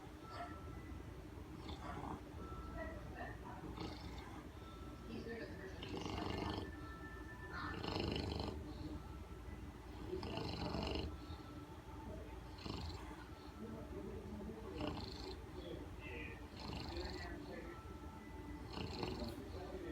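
An English Bulldog snores loudly in deep, rumbling bursts, with people talking in the background.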